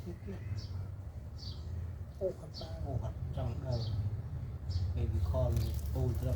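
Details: Newborn kittens with their attentive mother cat: a rapid series of short, thin, rising-and-falling squeaky mews in quick bursts, set against a steady low rumble.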